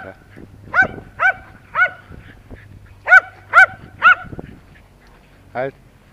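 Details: Timmy the terrier barks in two bursts of three loud, clear barks with a short gap between them. A final softer yelp follows, with a low hum in the background.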